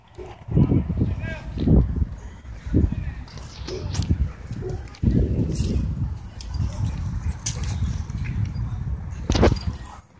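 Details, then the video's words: Two dogs play-fighting at a dog park, testing their battle skills: bursts of low, rough growling and snarling come in waves, with a few sharp yelps or barks near the end and people talking in the background. "Two Dogs Test Battle Skills At Dog Park"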